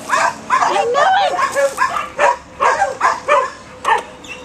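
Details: A dog barks in a quick, uneven series of about nine sharp, mid-pitched yaps over four and a half seconds, with human voices mixed in among the barks.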